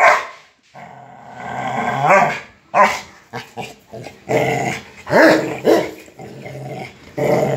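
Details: Rottweilers in a struggle over a motorcycle tire: deep snarling growls broken by sharp rising yelps and barks, with scuffling throughout.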